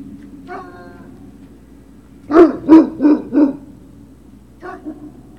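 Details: Great Dane puppies at Puppy Hill, 3 June 2019, afternoon: a burst of four quick, fairly deep barks in a row, with a faint whine before and a soft yip after, over a steady low hum.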